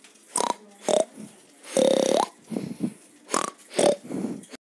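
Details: Pig vocalising in quick, rough bursts: snorting grunts mixed with brief nasal squeals, roughly seven calls within under five seconds, the longest a drawn-out squeal that lifts upward as it ends; no background sounds besides the pig.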